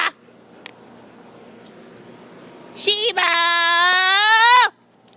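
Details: One of two dogs, a poodle and a shepherd, playing out back, gives a loud, steady, high whine of about one and a half seconds with a slight rise, after a quiet stretch of outdoor background hum.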